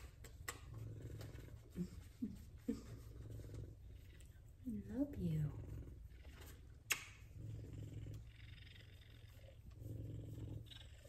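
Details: F2 Savannah cats Kumba and Zara, pets being loved on indoors, purr contentedly; a deep, steady rumbling purr pulses through the clip while a soft, affectionate human voice coos and chatters over it.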